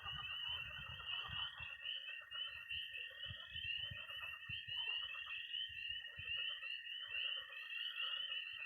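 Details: Night chorus of frogs and toads at a pond in Missouri in early spring, including peeping tree frogs, croaking pond frogs and high-pitched trilling toads. A dense wall of high peeps and trills runs unbroken, with low irregular knocks beneath.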